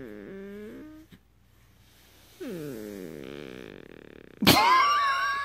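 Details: A "purring" Beagle makes a low, throaty, purr-like grumble with falling moans and a sharp whiny burst at the end.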